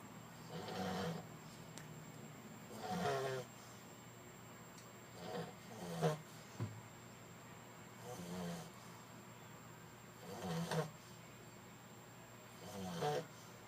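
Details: French Bulldog snoring while asleep: soft rasping snores roughly every two seconds, each a broad noisy burst with a low rumbling base, in a quiet room with a faint steady hum.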